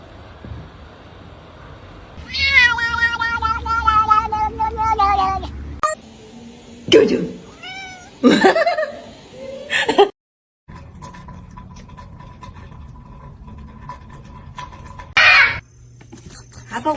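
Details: A long, drawn-out kitten meow runs for several seconds, followed by shorter bent calls. A voice speaks between them against a quiet indoor background.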